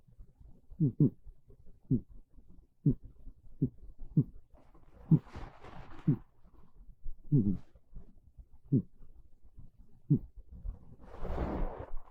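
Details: Monta, a pet cat, asleep on a bed in the early afternoon of a cold, rainy day, snoring quietly indoors: soft, low rasping breaths repeating roughly every second, with a few louder, broader exhalations near the end.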